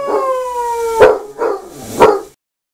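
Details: Basset Hound in the shower giving a slowly falling tonal howl, followed by three short, noisy bursts about half a second apart, then silence.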